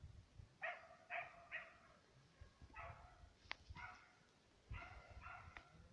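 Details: ['Serbian hound, one of two dogs on the trail of fox and roe deer, baying in the distance: ringing, harmonic yelps in quick groups of three, then a pause, then more paired bays. Faint low rumble underneath.']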